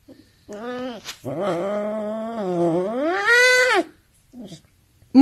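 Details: A playful male serval kept as a pet utters a long, low, wavering moan lasting over three seconds that swells and rises into a higher, brighter ending, followed by soft shuffling sounds.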